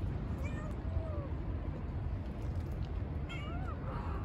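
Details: Young kitten, a stray newly appearing where cats are fed, giving several thin, high, wavering mews, some falling and one rising near the end, over steady low rumbling background noise.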